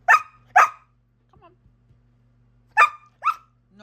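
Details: Australian Shepherd at home, upset at being refused a rawhide: four sharp, high yelping barks in two pairs, the second pair after a pause, with a steady low hum behind.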